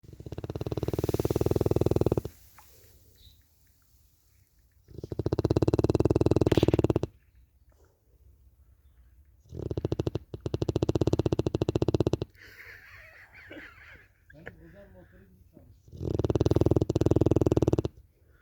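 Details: Cane Corso dog snoring in an unusual way: four loud, rough, rattling snores of about two seconds each, repeating roughly every five seconds, separated by quiet, softer breaths.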